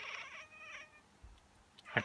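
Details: Miez, a female pet cat, reacting as she does every time someone sneezes or pretends to sneeze: a harmonic, nasal meow-like cry in two parts, then a quiet pause and a short sharp noise burst.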